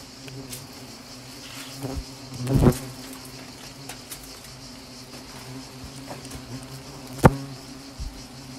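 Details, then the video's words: Asian hornets during a small attack in Nîmes; a steady low droning buzz runs throughout, broken by a few sharp knocks and thuds, the loudest near the third and seventh seconds. "Petite attaque de frelons asiatiques à Nîmes"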